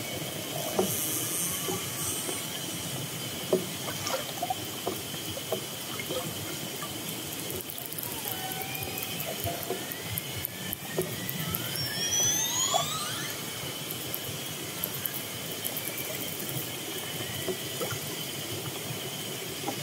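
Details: Orcas approaching a fishing boat, recorded underwater: several rising and falling whistled sweeps, clustered near the middle, over steady hiss, a constant high tone and scattered clicks.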